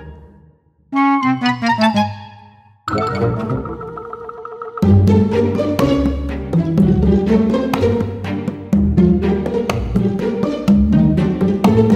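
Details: Instrumental music with plucked and bowed strings and dense rhythmic chords; no animal voice is heard.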